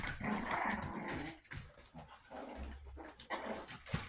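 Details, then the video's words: Chihuahua puppies, 61 days old, indoors in a small room: soft growling and whimpering grumbles in quick, irregular bursts, louder over the first second and a half, then quieter scattered sounds with low rumbles. "Chihuahua puppies 61 days old."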